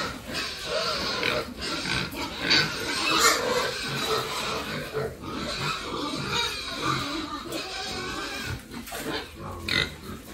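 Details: Pigs raised on a family farm, giving a steady run of harsh, broadband squeals and rough grunts that overlap with almost no pause, with scattered sharper bursts throughout.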